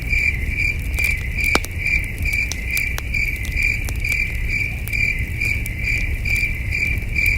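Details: Night chorus of crickets beside a campfire under a starry sky: a bright, even chirp pulsing rapidly and continuously, broken by loud crackling pops from the fire over a soft low hum.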